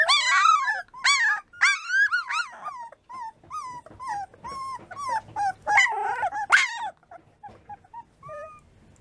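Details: American Bulldog puppies, three weeks old, whining and yelping rapidly in high, wavering cries that rise and fall, several overlapping at first and then tapering into fainter whimpers.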